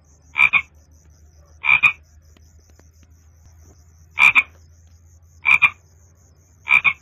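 A frog gives short, rasping double croaks, repeated at uneven intervals of one to two seconds.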